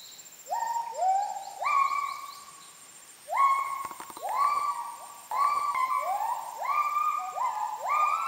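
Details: Kelempiau, Müller's gibbons calling out of sight in Borneo rainforest at Sriwangi Village, Kapuas Hulu: series of upward-sliding whooping notes in bursts of four to five, with brief pauses between bursts and constant high-pitched insect drone behind.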